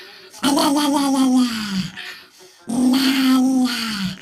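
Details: Funny "rawr" from a dog: a pair of long, groaning, voiced calls that hold a level tone before dropping slightly at the end, separated by about a second of near-silence.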